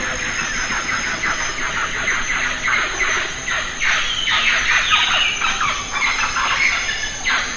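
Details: Lion-tailed macaques in the Western Ghats, feeding on jackfruit, give dense, overlapping shrill squeals and chattering bursts, rising and falling, in rapid irregular succession over a steady high insect hum.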